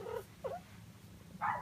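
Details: Young female cat, six to eight months old, in her first heat cycle, uttering three short moaning wails, the last one louder and rising, over a low indoor hum.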